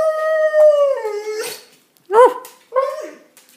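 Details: Keeshond and German Shepherd mix dog, six years old, vocalizing indoors as if talking: a steady held howl that drops in pitch and fades, then two short yodeling yips rising and falling.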